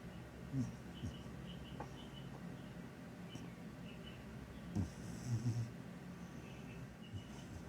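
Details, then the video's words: Sleeping, dreaming pet cat snoring: soft low rumbling breaths in short bursts, the strongest near the start and two or three more around the middle, over a quiet indoor background with faint high ticks. "Snoring (and dreaming) cat sounds like an old man"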